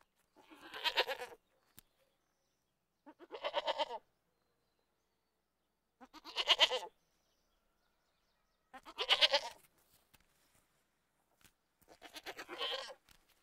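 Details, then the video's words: Goat giving five tremulous, nasal bleats, each about a second long, repeated roughly every two and a half seconds over a quiet background. "Goat Voices"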